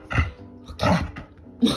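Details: A Border Collie in a small room, trained to switch between loud and soft barks, gives short barks on cue from a woman between them.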